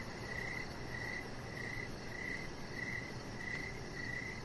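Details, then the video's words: Crickets chirping outside in the evening, crisp pulses spaced regularly a little over half a second apart, a steady hiss underneath. "Chihuahua Puppy Laying On Deck with Cricket Sounds"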